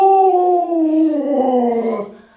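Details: Alaskan Malamute named Luoluo, a pet dog, gives one long falling howl, smooth and tonal, sliding steadily downward over two seconds before breaking off.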